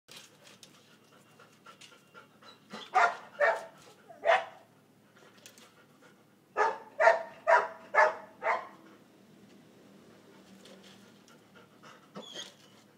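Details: Tun, a 17-month-old golden retriever and father of 12 puppies, excited about a toy: heavy breathy pants, first a cluster of three, then a faster run of five, with quiet rustling between.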